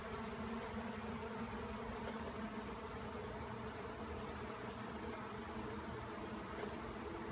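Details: Honey bees swarming after being cut out of a tree, swirling in a frenzy and landing on limbs; a dense, steady droning hum of many wingbeats fills the whole stretch with no pauses.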